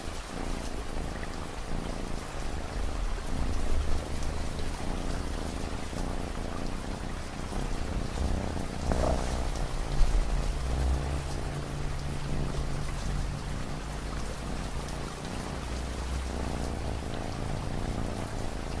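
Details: Domestic cat purring in a relaxing ambient mix: a steady, deep rumbling purr with soft pulsing throughout, set against a constant wash of falling rain and pattering raindrops.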